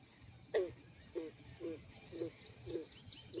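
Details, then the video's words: A frog calls with low, throaty notes about twice a second, six in a row, over a steady outdoor hum with faint high chirps, heard from the bank during bass fishing. "Y'all hear that frog?"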